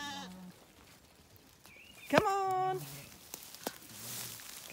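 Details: Zwartbles sheep, ewes and lambs on a regenerative farm in County Kilkenny, Ireland, being called in after their last breakfast together before weaning; a loud wavering harmonic bleat, with a few shorter lower bleats and a person calling "come on".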